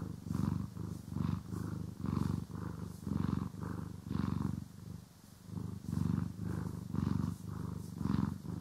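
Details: Domestic cat being brushed and groomed, recorded in stereo; continuous low vibrating purr rising and falling in breath-paced waves, briefly softer near the middle, with light brushing sounds on top.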